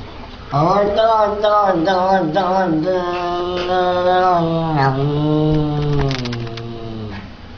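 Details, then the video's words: Domestic cat called ram puss, said to look as if a demon is inside him, giving a long drawn-out wavering yowl that rises, holds and slowly falls over about seven seconds, rich in harmonics, in a small indoor room. "ram puss talks funny"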